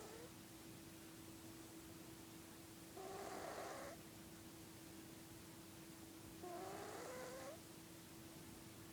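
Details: A sleeping pet cat snores in two breathy bursts roughly three and a half seconds apart. Each carries a thin rising whistle, between nose-trumpet and old-man snoring. A constant low hum stays in the background.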